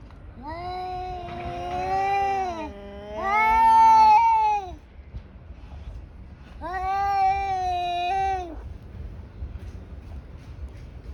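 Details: Tabby cats fighting, with loud harmonic yowls that waver up and down in pitch, overlapping moans from two cats, then a long steady wail after a short pause.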